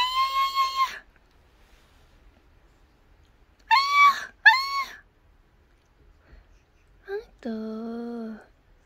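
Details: Calico cat, female, indoors, lying in a 'fried shrimp' curled pose and protesting being touched on the belly: several loud drawn-out meows with rising-falling harmonic arcs, a pair in quick succession, then a lower flat complaining meow.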